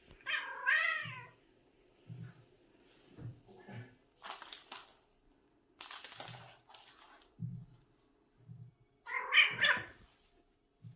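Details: Seven-year-old pet cat hunting indoors, uttering strange chirping meows: a wavering call at the start and another near the end, between them soft low thumps and two bursts of broadband rustling noise.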